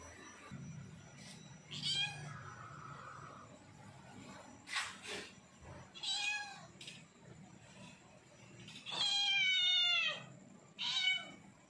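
A leopard cat gives a few drawn-out, harmonic meows, begging for food because it is hungry.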